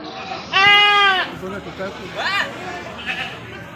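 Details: At the goat market in Pahonjaran, Majenang, a goat gives a loud, high, trembling bleat lasting under a second, then a shorter rising cry, over a steady hum of people talking at the stalls.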